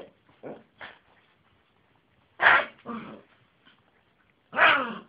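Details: Jessy the Yorkie, a house dog known for a funny bark, lets out rough, hoarse barks with growly undertones, some doubled in quick succession, separated by softer breathy huffs.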